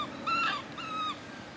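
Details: A baby monkey gives two short, arched, tonal cries in quick succession, each lasting under half a second, clear and rich in harmonics over a quiet background.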